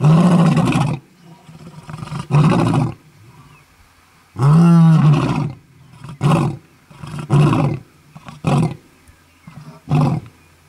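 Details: Lions in Kruger National Park, South Africa, in August 2012, roar in deep, rumbling bursts that taper into a run of shorter grunts while marking territory.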